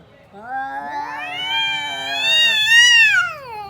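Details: A fighting cat gives one loud, harsh caterwaul that climbs steadily in pitch, swelling into a strained, nasal wail before breaking off after about three seconds.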